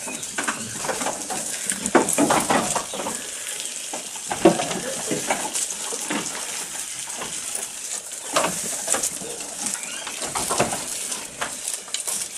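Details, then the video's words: Goat eating, recorded close up: a steady stream of crisp, crackling crunches and snaps from chewing, irregular and dense throughout, with a few louder bites standing out. "Goat Eating Sound"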